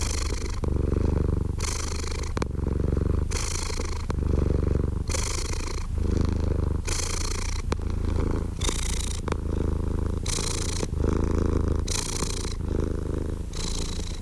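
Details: Steady cat purr: a rumbling low hum that alternates regularly between a heavier growly phase and a lighter breathy hiss, about every one and a half seconds.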